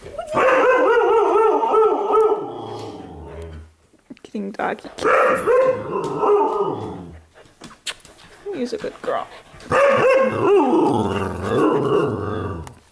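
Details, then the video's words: Pet dogs playing indoors in a living room at night, recorded 15 May 2014: drawn-out, wavering, harmonic howl-like yowls in three long bursts, separated by short pauses and thumps, with a human voice in the background. "Dogs Playing Inside"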